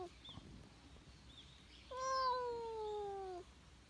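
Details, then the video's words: Stray cat giving a single drawn-out meow, steady then gently falling over about one and a half seconds, clear and tonal, apparently asking for something; quiet outdoor background. "今日の野良猫くんは ・・ 何かを訴える！？？ 猫【cat・kitten・kitty】"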